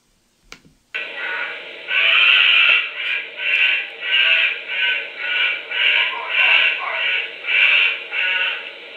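A honey badger gives a loud, raspy scream broken into rhythmic pulses, somewhat like a bear cub or a primate. Screams like this come when the animal sees a dog, and may serve as an alarm.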